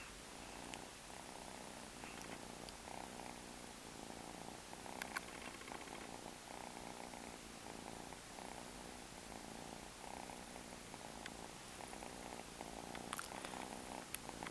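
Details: A stray cat living on the street purrs steadily, a rapid throbbing rumble pulsing without a break, over a constant hiss with a few sharp clicks.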